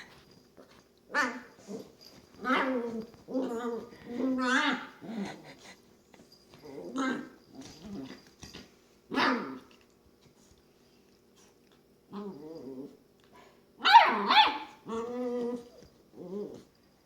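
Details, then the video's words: Female long-haired dachshund puppy entertaining herself in her bed with funny munchkin noises: a string of short harmonic grunts and whines in uneven bursts, a brief pause, then a louder squealing burst and further grumbles. "Longhair dachshund puppy entertains herself and makes funny noises"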